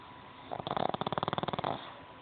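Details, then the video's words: Sleeping pug snoring: one rattling snore lasting about a second, made of rapid regular pulses, with quieter breathing before and after. "MY SNORING PUG"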